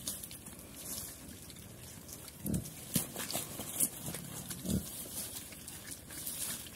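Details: Chrouk Kandorl pigs on a Cambodian farm eating banana leaf: two short, low grunts stand out, with fainter ones between them, over steady leafy rustling and crunching and a hissy background.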